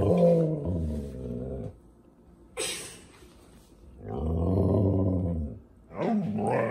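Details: Female Siberian Husky "talking" about how she hates squirrels: three bouts of deep, rich, harmonic growl-moaning, each rising and falling in pitch, separated by short pauses with a sharp breathy snort between them.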